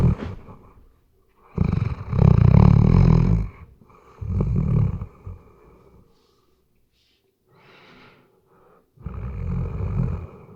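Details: Sleeping Weimaraner snoring in a series of uneven rumbling snores, some long and loud, others short and faint, with quiet breathing pauses between them, captured on a RODE NTG3B microphone.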